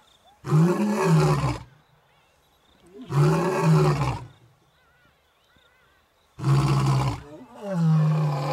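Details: Two male lions roaring on a game reserve in Africa: three long, deep, rumbling roars, each lasting over a second, separated by pauses of a few seconds, with crickets chirping steadily in the background.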